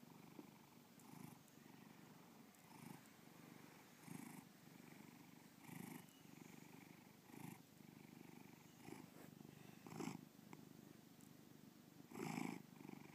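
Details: Bubba the house cat purring, Lakewood, Ohio; soft irregular rumbling purr with uneven breath pulses, a louder burst near the end.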